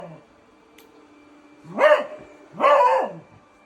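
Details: Beagle barking at a robot vacuum cleaner indoors: two drawn-out, howling barks with rising and falling pitch, about a second apart, over a low steady machine hum.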